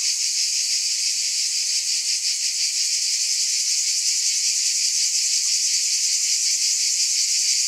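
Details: Cicada chorus pulsing in a bright, high, grainy buzz that swells slightly and then steadies, continuous from start to finish.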